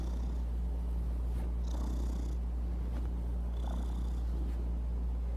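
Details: Pet cat purring; a steady low rumbling drone, continuous throughout, with faint higher rustling noise twice.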